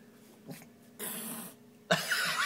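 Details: A six-month-old kitten guarding beef lets out two bursts of harsh, airy hissing with a rough, dog-like growling edge; a man's voice is heard faintly in the background.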